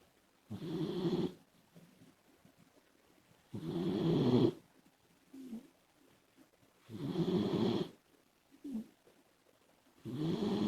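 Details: Labrador Retriever puppy named Komachi snoring while asleep, a pet female dog: loud rasping snores roughly every three seconds, each about a second long, with shorter softer breaths between them in a quiet room.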